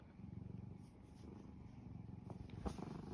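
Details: Domestic cat purring, content and affectionate with its owner; a soft, low, steady rumbling throb with faint clicks and rustles nearby.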